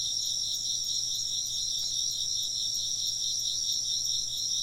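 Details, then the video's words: Unbroken chorus of chirping insects, rapid high-pitched pulses stacked in two bright layers at an even loudness, over a quiet low background hum. "風鈴の音と虫の声 - wind chimes and chirping insects"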